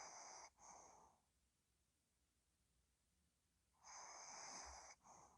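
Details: Sleeping dog Ddochi snores: a hissing, raspy breath with a brief break in the middle, a silent pause of about three seconds, then another long rasping snore.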